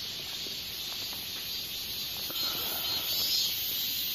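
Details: Katydid (Hexacentrus japonicus japonicus) giving a sustained high, hissing trill that grows slightly louder toward the end, accompanied by faint lower clicks and ticks.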